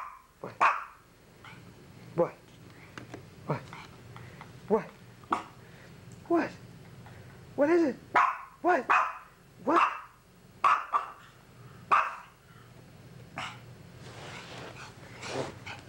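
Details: Dog named Sugar producing strange rising and falling whine-like yelps and sharp barks while a person talks and prompts it, with short pauses between the calls.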